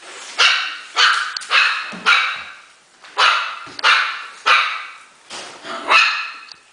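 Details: Havanese puppies excited at play indoors: sharp, high, yappy barks, around nine in under seven seconds, coming in uneven bursts with short quiet gaps between.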